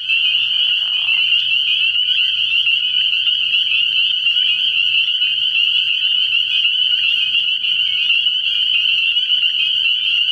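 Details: A frogpond at night in early spring, packed with calling spring peepers whose high shrill peeps merge into a steady ringing chorus; a brief lower rasp opens it, faint hum underneath.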